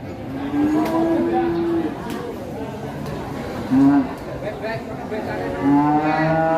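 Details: An aggressive, raging cow being unloaded from a truck gives a long, steady moo lasting about a second, then two shorter moos later on, with human voices in the background.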